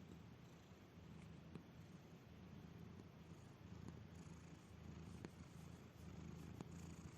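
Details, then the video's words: Sleeping cat snoring so softly it nearly purrs: a low, even rumble in slow breathing waves, quiet and close, with a few faint ticks. "This cat doesn't just snore, it practically purrs!"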